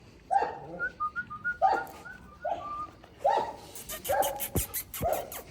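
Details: Cane Corso puppies give a series of short whining yelps, roughly one every second and a half, with thin whistled notes between them and sharp clicks toward the end.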